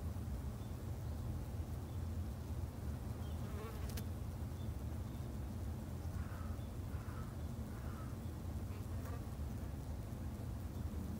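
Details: Constant low humming of Japanese honey bees from a backyard colony in Japan, a dense rumbling drone holding level for over ten seconds, cut by one sharp click and a few faint higher blips later on.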